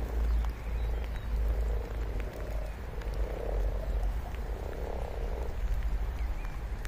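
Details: Several low, buzzy frog croaks rise and fade in loose pulses every second or two, partly masked by a constant deep rumbling background.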